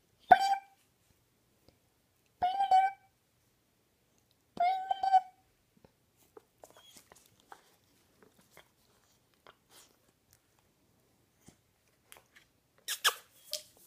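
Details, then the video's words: Fluffy puppy Oscar crying at a funny noise: three brief, nasal whimpering cries spaced about two seconds apart, followed by quiet clicks and small indoor rustles, then a burst of rustling at the end. "Fluffy Puppy Crying to Funny Noise"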